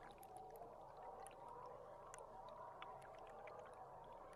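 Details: Underwater boat-cam recording of belugas on July 16. Rapid bright chirps and brief whistled squeaks pop up repeatedly through a constant rushing underwater wash.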